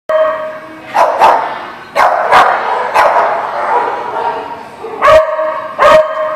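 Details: Dog barking in short, sharp bursts, about seven barks in six seconds, some coming in quick pairs, with a steady murmur of background sound between them.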